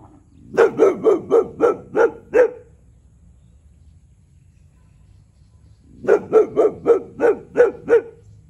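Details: A 1-year-old male Boxer, territorial, barks nonstop at a neighbouring cow: two quick bursts of deep, harsh barks, about seven in each run.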